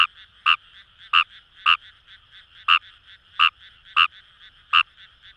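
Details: Fejervarya kawamurai in rice paddies of Itoshima, Fukuoka, Japan, repeating short harsh croaks roughly every half second to second, eight in a row, with a dense high-pitched frog chorus behind.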